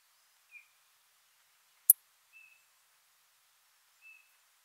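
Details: Ornate bright bush-cricket (Poecilimon ornatus) at Seewiesen, Germany, 28 June 2019, captured through an ultrasound detector: brief tonal pips spaced roughly 1.7 seconds apart, with one sharp, loud click between them on a quiet background.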